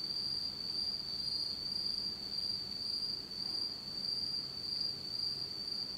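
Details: Insect chorus on an autumn night in Japan in total darkness: a seamless, piercing high trill that wavers in loudness in slow waves and never pauses.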